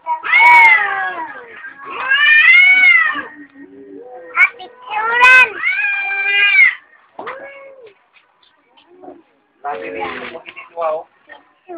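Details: Cats fighting outside a home in the morning, trading drawn-out, loud caterwauls that rise and sag in pitch, three long wails in the first seven seconds, then shorter broken yowls and quiet gaps.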